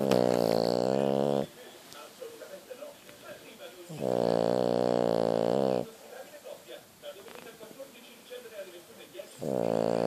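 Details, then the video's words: Snoring French Bulldog in sleep, deep droning breaths repeating roughly every four seconds, each about one and a half seconds long, with soft rustles in between. "French bouledogue snore bulldog francese che russa"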